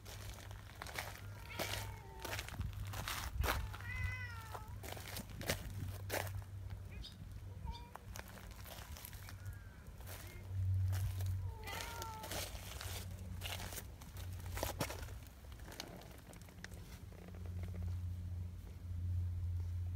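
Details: Donchan, a big affectionate black community cat that repeatedly pulls a hand close and nibbles it, gives several short rising-and-falling meows scattered among handling clicks and rustles, with a low steady hum underneath.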